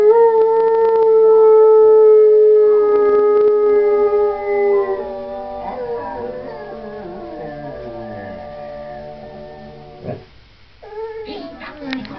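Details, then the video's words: Dojo, a pet dog, howls along while watching Lady and the Tramp: a long, steady, high howl held for about five seconds, then lower wavering, sliding tones. Film music and a brief sharp burst follow. "Hund singt Susi & Strolch"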